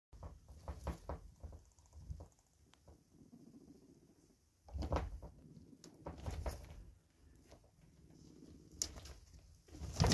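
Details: Two teenage male guinea pigs, Truffle and Treacle, fighting for dominance in a smaller temporary cage, with the 'bum dance'; low buzzing rumbles come in bursts, mixed with scuffling, sharp knocks and clatter from the cage.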